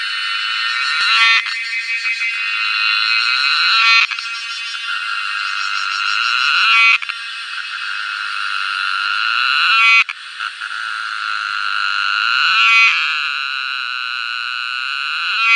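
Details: A cicada in summer gives a loud, shrill buzzing drone that swells and surges in waves every few seconds.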